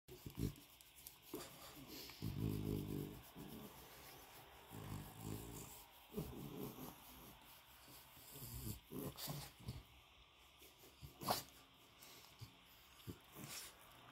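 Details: A happy French Bulldog in its new bed makes low, irregular grunts, snorts and snuffling noises in quick bursts.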